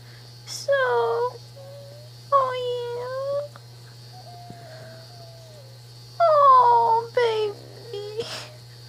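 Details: Pet prairie dog named Zoey making sweet tired sounds indoors: short whining squeaks with stacked harmonics, some rising and some falling, in three bursts over nine seconds, over a steady low electrical hum.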